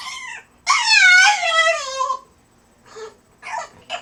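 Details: A French Bulldog during crate training gives a long, high, wavering whine that slides downward, then shorter whimpers, described as funny human-like noises.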